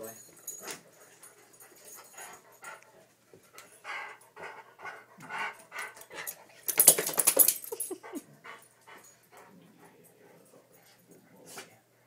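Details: A male Weimaraner pants and whines in short rhythmic bursts while his owner teases him as a big baby, then gives one loud, harsh bark.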